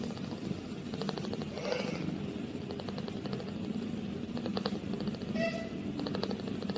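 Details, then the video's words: Munchkin kitten, eight days old, purring for the first time: short runs of rapid, pulsing rumbles come in bursts, with two brief high mewing squeaks in between, over a steady low indoor hum. "Baby Kitten First Purring Is Adorable - Baby Kittens Growing Up Day 8"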